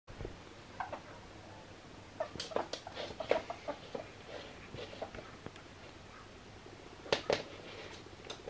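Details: A male albino ferret playing with slippers gives soft, quick clucking sounds in short, irregular bursts.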